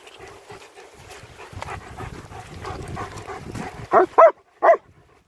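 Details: Winter wander with German Shepherds Nico and Zeeva in Hawick, Scotland; rustling and footsteps for four seconds, then three abrupt barks close together near the end.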